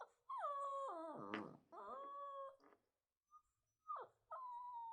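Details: Puppy feeling alone crying with a sustained whine that breaks into a wobbling, sobbing wail, followed by a softer held whimper, a short pause, then a sharp yip and a long falling whine.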